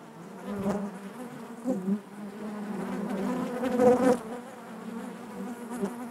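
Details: Natural buzzing of honey bees within the hive, a continuous low hum rich in overtones, rising into short louder surges around the middle as individual bees pass close.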